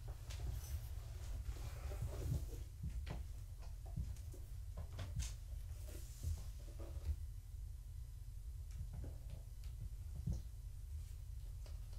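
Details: Quiet room hum broken by faint taps and rustles, with no animal calls.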